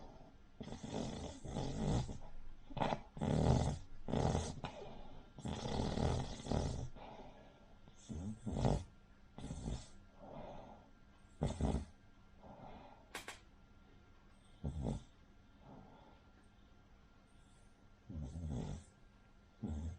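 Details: Rin, a flat-faced Cavalier King Charles Spaniel, snores loudly while asleep, giving a run of harsh, rattling, gravelly breaths in quick succession, then sparser snorts with pauses, in a quiet indoor room.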